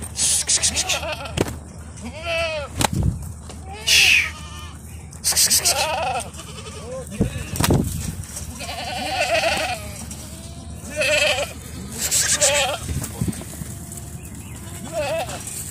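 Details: Bishi goat herd of 60 with 30 kids near the coast north of Al Qunfudhah, Saudi Arabia; repeated tremulous bleats from many goats, with loud bursts of noise and human speech between calls.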